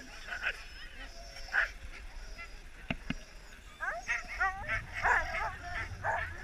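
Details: Husky sled dogs resting on a break during a husky safari in Lapland, Finland. Several dogs overlap in high yips, whines and short rising yelps that grow busier in the second half, over a low rumbling background.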